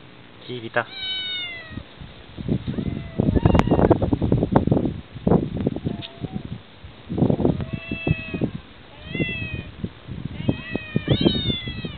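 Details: Barn cats living in a ranch barn on Yonaguni, Japan, several animals present: drawn-out harmonic meows near the start, middle and end, some bending up then down, with human talk filling the gaps between calls.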